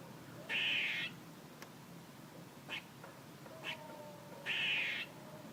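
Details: Squirrel giving two harsh, buzzy, half-second calls about four seconds apart, with a few faint short clicks between them over a quiet background hiss.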